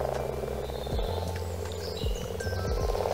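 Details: A very large frog, found under a plank in a UK parents' garden and tentatively identified as a common frog (possibly non-native), gives deep, grunting croaks about once a second, each a short low purr with a slight upward lilt, over a steady low hum.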